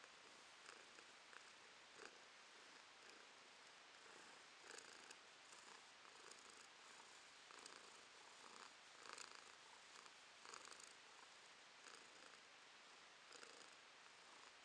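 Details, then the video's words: Romashka, a domestic cat, purring steadily in May 2022; a soft, even rumble rising and falling in rhythmic breathing cycles about every half second, with faint hiss and no other clear sounds. "Кошка Ромашка урчит"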